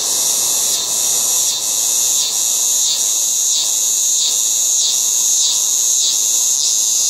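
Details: Cicadas in an August yard drone in a loud, high, continuous buzz that swells in regular pulses.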